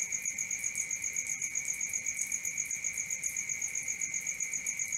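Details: Night cricket chorus: a shrill, evenly pulsed chirping, roughly four beats per second, holding one constant high pitch with a fainter, even higher ring above it.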